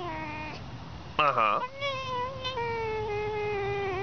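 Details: Fox producing dolphin-like sounds: a long, steady high whine that sags slightly in pitch, broken near the start by a sudden burst of rapid squeaky chirps.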